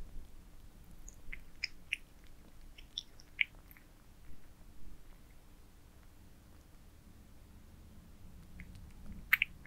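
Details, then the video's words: Domestic cats eat minced meat towers in a small room: sparse, crisp chewing clicks and smacks in irregular bursts over a quiet low hum, with a cluster of sharper bites near the end. "Cats eating minced meat towers"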